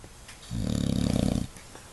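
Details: An English Bulldog snoring with its eyes open gives one long, low, rattling snore lasting about a second.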